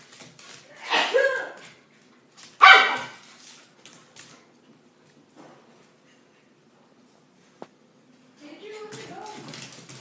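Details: A Miniature Schnauzer and a Pointer/terrier/lab mix at play, with two loud rough bark-like bursts early on, quieter low growly noises, then a brief tonal whine near the end.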